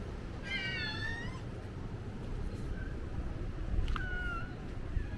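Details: Stray cat on Ikeshima cat island, Japan, winter 2024–2025: a clear, harmonic meow rising then leveling near the start, followed by shorter mews and a sharp rising call later, against constant low wind rumble.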